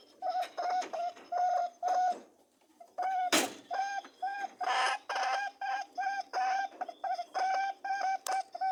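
A rabbit gives short, nasal honks and hums in quick bursts during mating.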